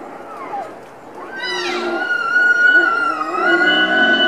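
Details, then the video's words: Rutting wapiti stag roaring in a zoo enclosure at Tierpark Berlin in September 2015: a fast upward whistled sweep leading into a long, shrill, sustained tone with rich overtones, wavering slightly and holding for more than two seconds, preceded by fainter low sounds. "Wapiti stag rutting (posture and roaring)"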